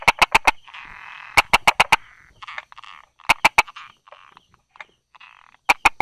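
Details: Buerger's frog hiding among rock crevices and grass, recorded on 22 July 2016 at 10:44, gives sharp tapping clicks in quick bursts of three to five, repeating over a steady background of buzzy calling from other frogs.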